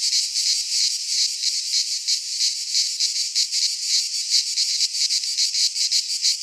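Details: Summer cicadas in a Greek pine forest, their piercing buzzy song pulsing quickly and somewhat unevenly at about three beats per second, constant and dominant.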